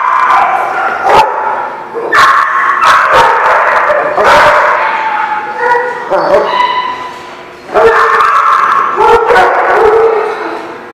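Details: Kennel lot full of dogs barking and yipping at once, a loud tangle of overlapping barks with higher whining tones and sharp bursts throughout.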